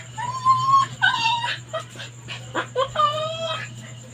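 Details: Labrador Retriever dog on a leash, crying and straining to break free, seeming angry, envious of other dogs passing by and wanting to play and go along. High, whining whimpers: several drawn-out tonal cries, some steady, some bending, in a broken series over a low steady hum.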